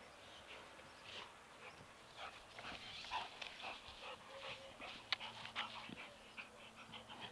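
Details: Labrador Retriever named Buddy playing with his football: soft, breathy, noisy bursts come roughly twice a second in an uneven rhythm, like panting, over a faint steady hiss.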